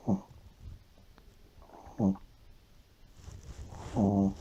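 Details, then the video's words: Deeply sleeping Shih Tzu snoring like an old man: three short, rasping, buzzy snores about two seconds apart, the last one longer and louder. "SHIH TZU RONCANDO COMO UN VIEJO"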